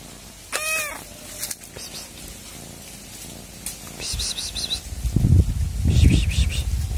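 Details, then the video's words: Domestic cat purring with a steady low rumble that swells louder toward the end, a short rising-falling meow near the start, and a few brief high squeaky sounds partway through. "Cat Purring"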